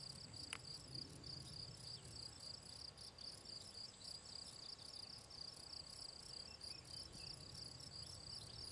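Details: Shrill, pulsing chirps of a field cricket (Gryllus campestris) recorded on 18 June 2023 near ponds in the Draga valley, evenly repeated several times a second, with one sharp click early on and a low hum beneath.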